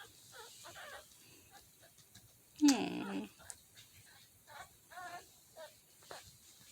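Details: Mini Dachshund puppies in Lithia/Tampa, Florida, on April 2, 2021, whimper in thin, high, wavering squeaks, with a person talking softly nearby.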